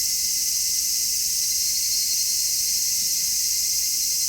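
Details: Steady shrill buzzing of cicadas at the height of summer, stereo recording made with an MKH-416 microphone; a continuous bright, hiss-like chorus without breaks and no other clear sounds.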